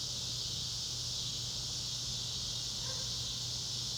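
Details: Loud cicada chorus recorded in northwest Arkansas's Ozarks, a continuous shrill buzzing wall of sound with no pauses, over a low steady hum and a brief faint chirp near the end.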